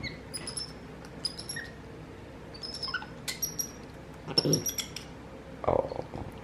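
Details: Pet capuchin monkey brothers MonkeyBoo and his baby brother MonkeyHappy talking to each other: thin, high whistles repeated in short bursts, some with slight upward slides, followed by a few human voice fragments.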